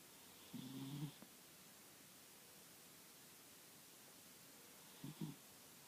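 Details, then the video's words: Buddy, a sleeping dog, snoring: a low, rough drawn-out snore lasting about half a second, then a pair of short snorts several seconds later, over steady faint hiss. "Buddy is making noise while he sleeps"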